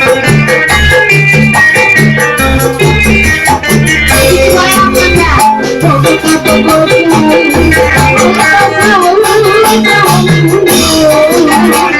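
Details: Loud lively music with guitar, percussion and singing plays throughout, with no animal sound audible.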